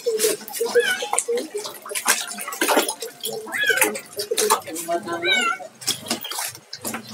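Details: A kitten is bathed at home. Several short, wavering meows rise and fall among a person's chatter, with splashing water.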